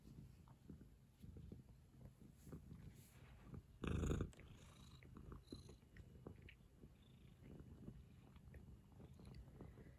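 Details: Chiko, a rescued former stray cat that now clings affectionately to its owner, purrs indoors: a low, steady rumble broken by a sudden loud rustling burst midway, with faint higher squeaks afterward.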